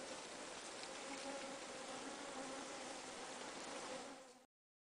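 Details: Swarm of mopani flies, tiny stingless bees (Plebeina hildebrandti), in Southern African bush during summer, hunting moisture: an even, continuous hiss-like buzz with faint humming tones underneath, holding steady throughout before cutting off.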